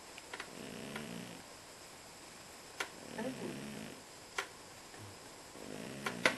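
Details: A pet cat sleeping indoors, snoring softly: low, rough breathing bursts roughly every two to three seconds, with faint clicks and rustles in a small quiet room.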